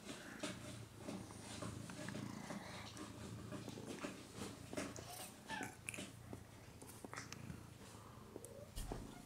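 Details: Domestic cat purring indoors while grooming another cat; a low, steady, continuous rumble runs throughout, broken by soft licking clicks and small rustles.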